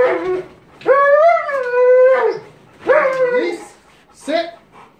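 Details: Male Cane Corso during bite sleeve work and control training: drawn-out, tonal whining howls, each held for about a second with steady pitch, followed by shorter, falling whines; a trainer gives brief commands nearby.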